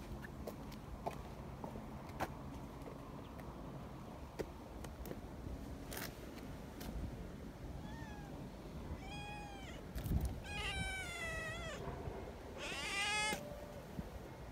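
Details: Young community cats near a milk-tea coloured cat, with several high, wavering kitten meows clustered in the second half, rising and falling, over constant outdoor rumble and scattered clicks.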